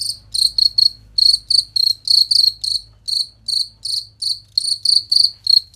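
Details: A clear, shrill cricket chirp recorded for training competition songbirds, given as quick pulsed bursts that come in uneven clusters of two or three, with brief gaps between them and a soft low hum in the background.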